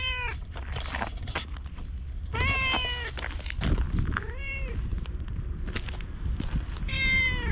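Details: Orange tabby stray cat, a community cat outdoors filmed on a GoPro, meowing and chatting while following after a brief petting: several short harmonic meows, some rising then falling, over a low rumble of footsteps and handling noise.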